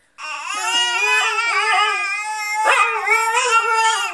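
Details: A Siberian Husky howls along with a baby in one continuous, rich, wavering howl lasting about four seconds, with its pitch sliding up and down and a brief sharp rise midway.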